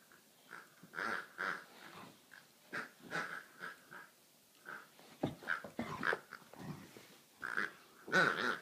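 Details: Bernese Mountain Dog puppy playing with a squeaky sheep toy; short bursts of squeaking and low growly huffs come in quick irregular clusters, some sharper and louder near the end.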